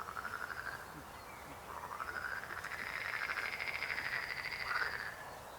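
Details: Croaking frog: a continuous rapid pulsed rattle that gradually swells and rises slightly in pitch over five seconds, peaking near the end before easing off.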